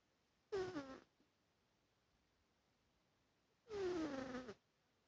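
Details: Sleeping domestic cat snoring: two drawn-out, buzzy nasal tones, each sliding downward in pitch, the first short and the second longer, spaced about three seconds apart, with a quiet background between breaths.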